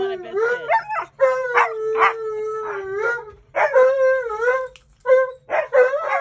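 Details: Siberian Huskies demanding biscuits at the bank, making choppy talking howls and woo-like yodels with bending pitch, broken by short gaps, with a person's voice mixed in.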